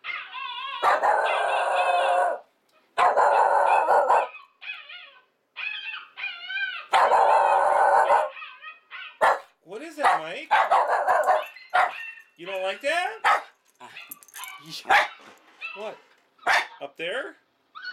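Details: A Shiba Inu gives long, wavering, howl-like barks at another Shiba Inu on a YouTube video, while a woman asks what the noise is and says it doesn't like that noise.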